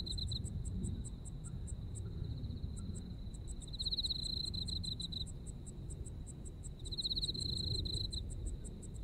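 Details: A chorus of insects singing in a Japanese autumn: a sustained high trill swells into pulsed bursts twice, accompanied by quick regular ticking of a second caller, with low ambient rumble throughout.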